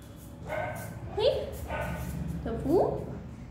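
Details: Pomeranian dog meeting its friends at the gate after a long time apart; a few yipping, rising barks with harmonics, spaced over a couple of seconds, with music in the background.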